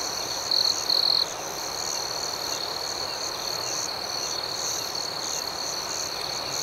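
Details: Steady high trilling of crickets at night, opened by two short, louder, rapidly pulsed chirps within the first second or so, then an unbroken chorus.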